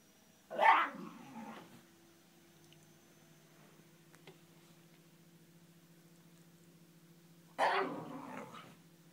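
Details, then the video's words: Koji, a Shiba Inu dog, venting frustration at not reaching his ball behind a TV stand; two short, harsh, grumbling yelps about seven seconds apart, with a steady low electrical hum indoors. "Koji the Japanese Shiba In makes strange noises"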